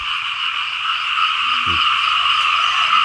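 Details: Frogs croaking in a dense chorus over well-watered Lao rice fields fed by streams, steady rapid pulsing with a faint low voice briefly audible beneath.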